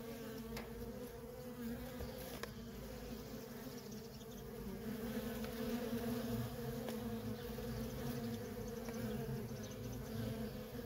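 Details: Feral honey bee colony with worker bees coming and going nonstop, giving a continuous droning buzz with wavering tones and soft clicks of passing insects.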